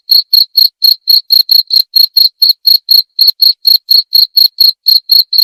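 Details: Cricket chirping steadily, a clean high-pitched chirp repeated about four times per second with a faint higher overtone, no other sounds; offered as a calming sleep sound said to drive away mice.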